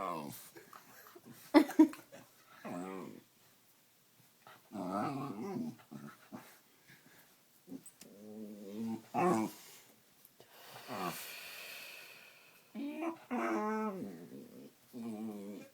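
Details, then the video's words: Pet dog indoors making funny noises while playing with a person: bursts of growly, harmonic whines and grumbles rising and falling, several separate vocal bouts with quiet gaps and a few sharp knocks. "My dog makes funny noises"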